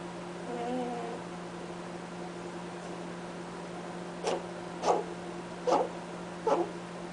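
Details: Cadbury, a pet rabbit, honks while sleeping: four short, breathy snorts spaced under a second apart in the second half, over a faint steady hum, with a brief soft tonal sound early on.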